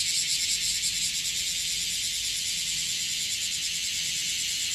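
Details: Chorus of bear cicadas in Okinawa, increased in number since the previous day: an unbroken, high, rasping drone with rapid shimmering pulses and a soft low rumble underneath.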